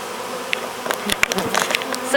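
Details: A Western honey bee (Apis mellifera) swarm of roughly ten to twenty thousand bees buzzes in a steady hum with clicks and handling noises as bees fan and march into a new hive.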